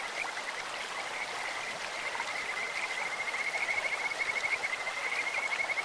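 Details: Stream-dwelling Kajika frogs trilling in quick high pulses, growing louder and more rhythmic toward the end, over the steady wash of a clear mountain stream.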